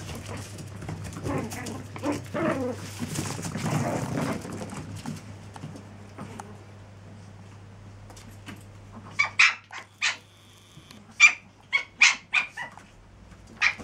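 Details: Seven-week-old Chihuahua pups: rustling and a low steady hum fill the first half, then about eight sharp, high-pitched yips burst out in quick, uneven succession toward the end.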